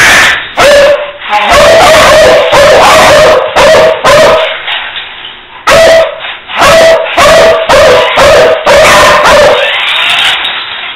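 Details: Beagle giving loud ringing barks and yelps in quick runs, broken by a short lull partway through before the barking resumes, ending on a fading whine-like tail.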